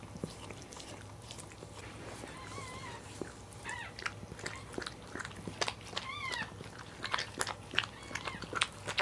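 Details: Newborn Cairn Terrier puppy, the fourth born of a litter, gives thin, high squeaks and short whines that rise and fall, scattered in bursts over steady low hum and soft rustling, chewing-like sounds.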